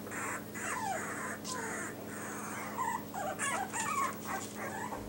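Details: Yorkshire Terrier puppies in new numbered Velcro collars, a dark-blue-collared male nicknamed trouble maker blue boy leading Hope astray; squeaky whines and short yips rise and bend, overlapping in bursts over a steady low electrical hum.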